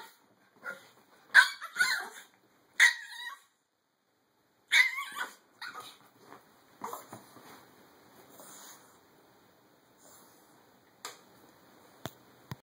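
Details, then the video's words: A small dog yaps sharply, a Chihuahua, with several loud high barks early on, then softer, fading yips and faint clicks toward the end. "Killer Chihuahua"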